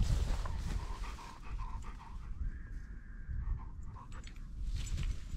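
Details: German Shorthaired Pointer (Kurzhaar) in field training on wild partridges, Cyprus, 2 February 2024: quick rhythmic breathy panting for about two seconds, then fainter huffs under low rumbling wind noise outdoors.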